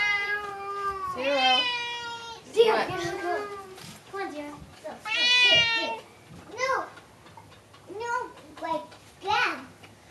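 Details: Two pet Bengal cats eating and not wanting to share their food. Drawn-out, wavering, strongly harmonic meows and moaning calls rise and fall, with shorter bent calls near the end, all in a small indoor room.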